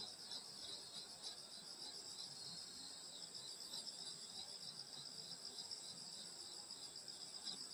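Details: Summer night insects at a grandmother's countryside home, a dense chorus of several high trilling songs in steady bands, pulsing about four times a second, with no other clear sounds.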